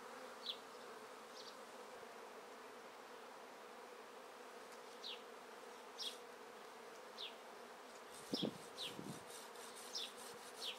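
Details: Honey bee swarm being taken from a tree into a swarm basket, the beekeeper shaking remaining bees from the branches; a steady low hum runs throughout, with short repeated bird chirps and a sharp thud near the end.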